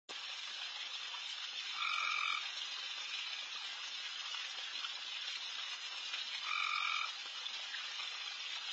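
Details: Many frogs calling all over a backyard late at night: a dense, continuous high hissing chorus, with two louder, steady tonal trills of about half a second rising above it.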